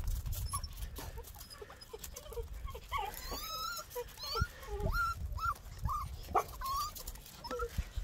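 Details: Miniature Pinscher puppy, eleven weeks old, prancing outside in patchy snow on a 50-degree day, 21 February 2021: a run of short, high, bending whimpers and yips, roughly one each half-second to second, over low wind noise.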